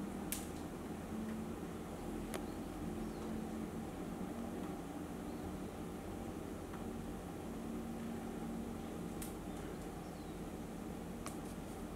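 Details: Steady fan-like hum fills a small room, broken by a few sharp clicks; no animal sound is heard.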